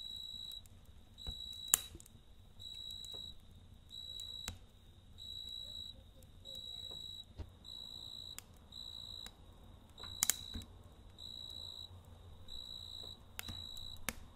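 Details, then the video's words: A cricket trills steadily through the night, high ringing chirps in evenly spaced bursts, while a campfire crackles and pops now and then, the fire's rumble quieter here. "Kamp Ateşi ve Cırcır Böceği Eşliğinde Dinlendirici Gece Sesi"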